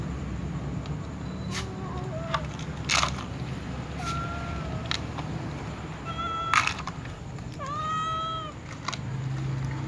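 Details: Before feeding, a tom cat and a white cat with others mew: several faint, short meows scattered among taps and clicks, then one clearer, bending meow near the end over a low hum.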